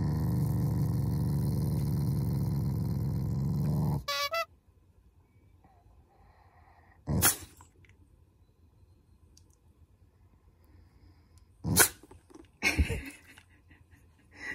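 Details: Family Shiba Inu growls affectionately, not angrily: a continuous low rumble for about four seconds breaks off into quiet, then scattered short sniffs or sneezes and a woman speaking Japanese.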